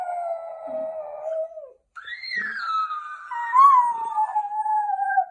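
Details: Jack Russell Terrier dog indoors, going crazy while a toy talking parrot mimics him; two long, wavering howls, the first steady and lower, the second rising sharply then sliding down and trailing off.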